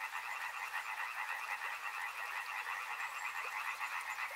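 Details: Riverside frog chorus, a thick mass of fast rattling croaks in two bands, the loudness throbbing in quick, even waves throughout the few seconds.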